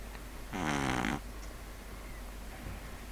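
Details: Neil, a pet pug, sleeping and snoring: a single loud, buzzy, rasping snore lasting under a second, then quiet breathing in a room.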